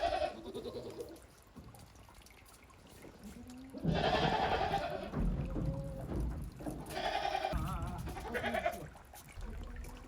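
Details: Goats at Yoshigake goat farm, Japan, 28 December 2023, stepping timidly onto snow after heavy snowfall on their first time out in a while; three drawn-out wavering bleats, the loudest near the middle, with low rumbling noise beneath.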